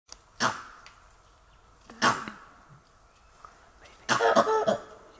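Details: A langur in Kanha National Park in March 2024 gives loud, rasping alarm barks in short bursts roughly every two seconds, the last a rapid double, after seeing a tiger, alerting other animals that the tiger is close.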